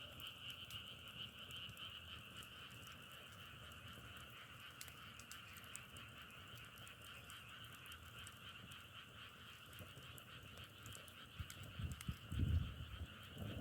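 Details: A continuous chorus of frogs gives a steady high trilling hum, fading slightly, while low thumping bumps break in near the end.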